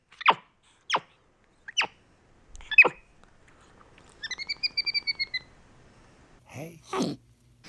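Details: Pet capuchin monkey named MonkeyBoo communicating with his owner indoors: a few sharp high chirps, then a quick run of about eight short whistled notes, followed by a louder squeaky call; little background noise.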